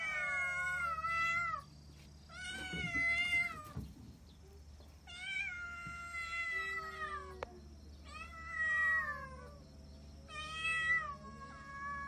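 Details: Kittens calling indoors with repeated high, drawn-out meows, several overlapping, each a second or more and gently falling, spaced every couple of seconds over a low steady hum.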